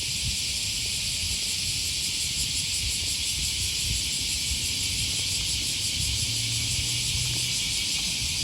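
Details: Loud cicadas on an August morning by the Okawa River, Osaka, Japan. An intense, unbroken high-pitched buzzing drone dominates throughout, with a brief low hum near the end and light background rumble.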